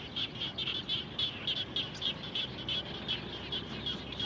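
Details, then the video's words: Post-rain frog chorus beside a home: clear, bright, high notes pulsed in quick bursts about three to four per second, distinct and evenly loud, over a quiet low background. "Natural Sound of Frogs After Raining"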